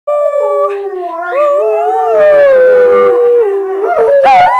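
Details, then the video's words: Alaskan Malamute female from a line of singing dogs, howling a long tonal song: smooth, gliding notes slowly falling then wavering, ending in a sharp rising yelp-like phrase. "Alaskan Malamute Sojou Howling Song"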